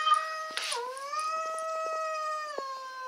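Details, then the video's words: An angry domestic cat holds one long, steady, tonal howl that dips briefly and then stays level for about three seconds, with faint clicks and rustles behind it. "Angry and Aggressive Cats Hissing Compilation - Growling, Hissing and Claw"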